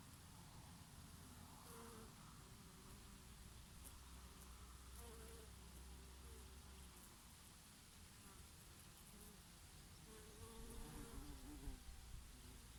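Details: Bees grazing on oregano flowers in summer, with a bumblebee here and there: a steady low droning hum with passing tonal buzzes that swell and fade as insects fly near, over a constant soft summer breeze.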